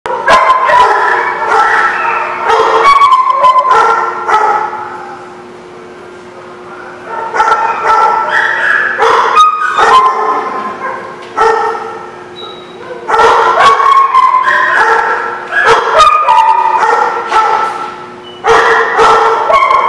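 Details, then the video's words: Several dogs at The Barking Lot, recorded 19 August 2016, bark loudly in overlapping bursts, several per second. Bursts of barking alternate with quieter gaps, and a few higher yips mix in. "The Barking Lot"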